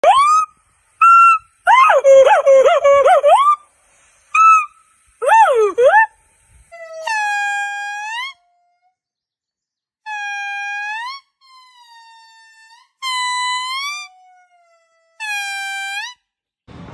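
Monkeys give clear, whistled calls, some wavering and some sweeping upward, with rich ringing overtones.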